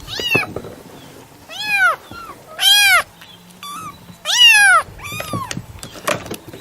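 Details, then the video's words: Domestic cat meowing: five short harmonic meows, each arching up then falling, spaced about a second apart, with faint clicks between calls. "SONIDO DEL GATO/ MAULLIDOS// CAT SOUND/ MEOWING"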